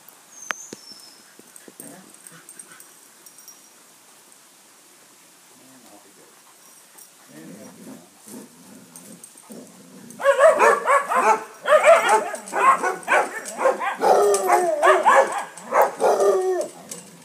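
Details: A neighbour's St Bernard drops by Basset Hounds to play; ten seconds of near quiet with faint low sounds, then a sudden outbreak of continuous loud barking and baying, overlapping and chaotic.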